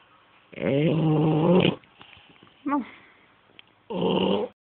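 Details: Snoring French Bulldog: two long buzzy, droning snores with strong low harmonics. The first lasts about a second and the second is shorter. Between them comes a brief squeaky sound that rises and falls.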